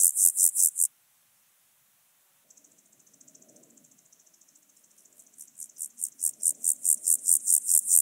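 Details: Alpine grasshopper, Chorthippus alticola, on Obir, Austria, 30 July 2022, picked up with an ultrasound detector: high, buzzy pulsed chirps repeated rapidly, a pause with softer low rustling, then the pulse train resumes and strengthens.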